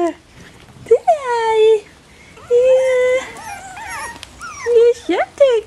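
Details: Bichon Frisé puppies, O and P litters, Vejles Lille Kennel: a falling whine, a pause, then a steady cry sliding into warbling squeals, ending with short rising yelps.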